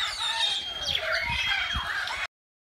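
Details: Several meerkats in a wildlife park enclosure, investigating a cardboard box, chirp and squeak over one another in a busy, high-pitched chatter.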